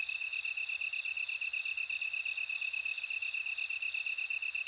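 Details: Bell cricket singing up close: a clear, high, bell-like ringing tone pulsed in quick regular beats, over a steady upper trill that swells louder at intervals and then cuts off near the end.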